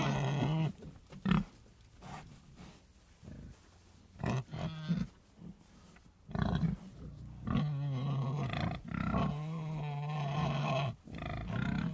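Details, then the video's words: Deep pig grunts come in irregular bursts. Several longer, steady, droning calls near the end are held for about a second each. "Sonido de Cerdos"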